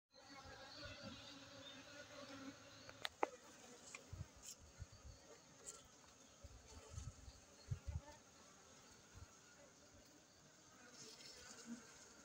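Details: Honey bees at a honey bee centre fill the air with a continuous low, buzzing drone, many wingbeats blending into one hum, broken by occasional sharp clicks and dull knocks.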